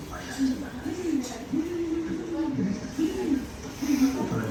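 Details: Pet Siberian Husky trying to get his sandwich, giving a drawn-out, wavering vocal moan of smooth rising and falling arches, several linked phrases across the clip, indoors with faint background noise.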